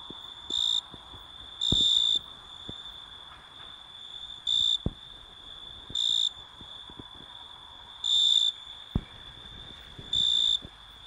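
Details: An Italian tree cricket (Oecanthus pellucens) sings clear, pure ringing trills in short bursts, roughly every second or two.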